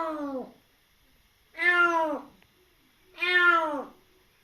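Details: Rescued kitten a little over three months old, its mother killed in an accident, now in foster care and very wary, giving three drawn-out meows that slide downward in pitch, spaced about one and a half seconds apart, indoors.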